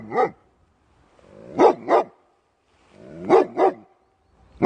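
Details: Pit bull barking indoors: short harmonic barks, one single then paired barks in quick doublets about every one and a half seconds, with silence between bouts.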